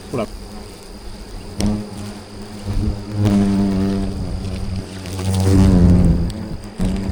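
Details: Yellow-vented hornets (Vespa analis), enraged as their football-sized nest in bushes is cut out, swarm around the microphone, drones loud and low, swelling and fading; Yellow-vented hornet.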